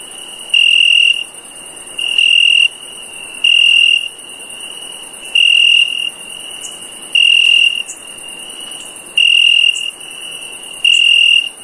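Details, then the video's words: Cricket at night repeating seven short, piercing monotone chirps at a steady two-second rhythm, with a constant high insect whine and occasional soft clicks behind. "Cricket Chirp"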